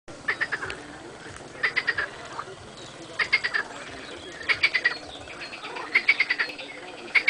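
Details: Marsh frogs and edible frogs calling: short bursts of rapid, rattling pulses repeated about every second and a half over a constant low background murmur.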